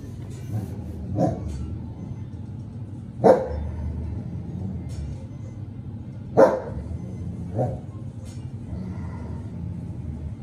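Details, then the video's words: Arlo, a 14-month-old female Giant Schnauzer, gives two loud, deep single barks about three seconds apart, with softer shorter yelps between them over a steady low rumble of background noise. "Giant Schnauzer Bark"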